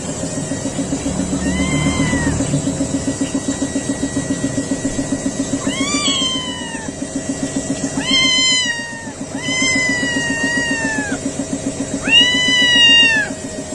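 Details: Three-week-old kittens give thin, high meows that rise then fall, several in a row, over a steady low hum.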